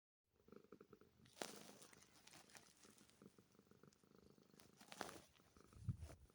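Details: A cat sitting under a blanket purring, a soft low pulsing drone with faint rustling and a few sharper bumps as it shifts.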